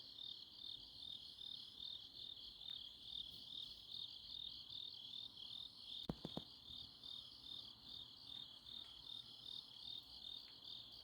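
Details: Grass insects calling through a Chuncheon autumn night: a constant high shrill trill with loosely pulsed chirps, interrupted near the middle by two or three sharp clicks or taps, then the insect chorus carries on.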